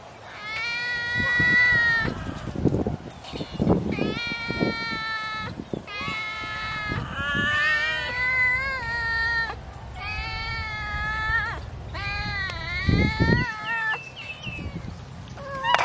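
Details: Feeding time with fish for a cat, which calls insistently: long, rising-and-falling meows in quick succession, separated by short pauses, over scattered knocks and low rumble.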